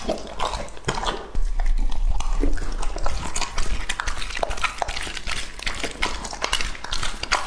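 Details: Lucky, a two-and-a-half-year-old English-type Labrador Retriever, eating indoors: fast, irregular crunching and chewing bursts, roughly 200 a minute, with heavy low thuds and sharp clicks.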